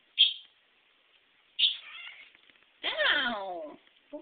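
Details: Two domestic cats fighting each other in a kitchen: two short, high hissing spits followed by a harsh, rising-and-falling yowl lasting about a second, with a brief growl at the end.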